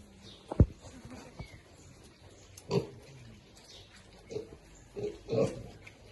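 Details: Piglets eating happily give a handful of deep, brief grunts spaced a second or so apart. Sharp clicks and knocks from feeding break in between.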